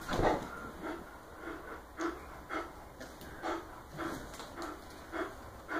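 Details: A female Miniature Bull Terrier, playing wildly on a new air mattress, snorts and pants in short bursts, roughly every half second to second.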